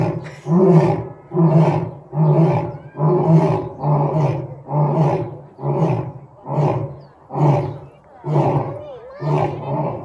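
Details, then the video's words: Two lions at a zoo roar together in a series of deep, throaty grunts repeated a little under once a second. "Double lion roar at Franklin Park Zoo"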